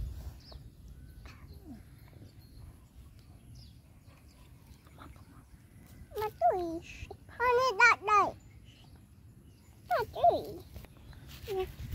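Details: Bullied dog yelping: after six quiet seconds comes a short bent yelp, then a cluster of high arched whines near eight seconds and a final pair around ten seconds, over a steady low rumble.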